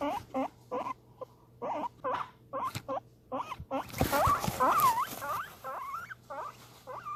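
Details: Pet guinea pig calling excitedly over food: a steady run of short upward-sweeping squeaks about twice a second, briefly covered by loud rustling and clatter midway, with longer drawn-out wheeks afterward.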